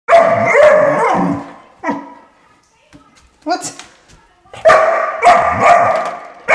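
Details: Five-month-old puppy, frustrated and annoyed by the noise of a door stopper, giving loud, harsh barks in clusters with short pauses between bursts, indoors, with a person's voice nearby.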